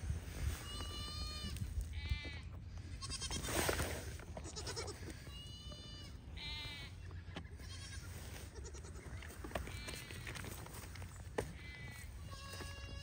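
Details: Young pygmy goat does playing on a farm in Knoxville, Tennessee, bleat repeatedly in short, wavering, nasal cries that overlap one another.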